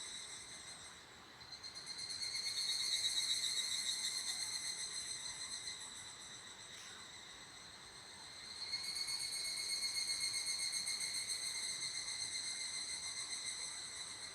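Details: Evening cicada calling by an abandoned toilet in two long bouts: a ringing, pulsed trill of about four beats a second swells, fades to a lull around the middle, then rises again and continues.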